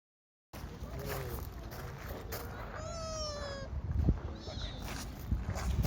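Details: Sika deer at Kofuku-ji temple, Nara, Japan, giving soft, cute nasal calls described as "funi" and "nii": a short faint call, then a drawn-out tonal whine that slides gently downward, amid background murmur and bumps.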